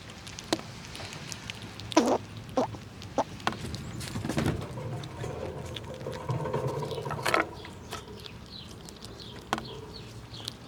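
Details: Winter squirrels gnawing nuts and jostling one another. Crisp cracking bites come at irregular intervals over a low rumbling outdoor background with some rustling.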